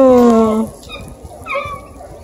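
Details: Bluetick beagle puppy chasing a deer hide in Ontario gives a drawn-out falling bay lasting under a second, then a shorter higher yelp after a pause, over faint background rumble.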